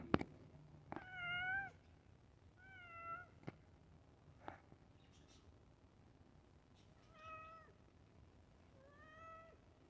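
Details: Pet cat waiting for its iftar meal, meowing repeatedly: five clear, slightly falling meows spaced about two seconds apart, with a few sharp knocks between them in a quiet room.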